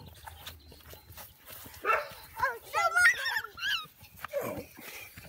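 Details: American Bully puppies, young and not yet named, give a quick run of high, wavering whines and yelps in the middle stretch, with people talking softly before and after.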